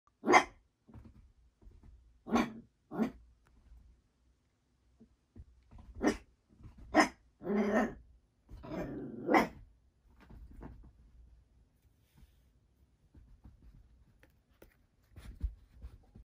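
An Italian greyhound gives sharp, irregular barks with a few longer, rougher vocal bursts between them.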